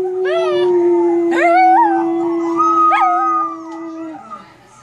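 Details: A puppy chats by the computer with a sustained even howl lasting about four seconds, topped by short rising and falling whiny notes before the voice fades away.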